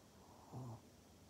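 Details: Maria, a pet pug in Japan, recorded 14 November 2020, gives a single short, low, throaty grunt lasting about a quarter second, rough and snort-like, over a quiet indoor background.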